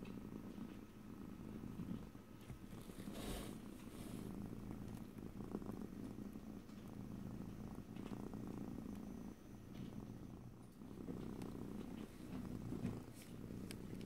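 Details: Close stereo recording of a house cat purring without any talking: a deep continuous rumble swelling and easing in slow breathing cycles over fourteen seconds, broken by a soft rustle near the three-second mark.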